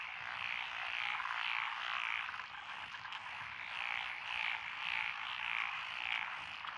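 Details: Rural lotus rice paddies in Echizen, Fukui, Japan, June 2021. A mix of named species, among them Tonosama and forest green tree frogs, calls at once. Clear repeated chirping croaks stand out above a thick, buzzing background chorus.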